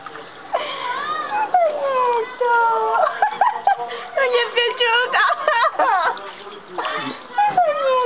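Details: Young pug Metis during his first summer bath in a new, cold pool he clearly dislikes, whimpering in high, wavering whines that rise and fall in long glides, while a woman talks soothingly in Italian over light water splashes.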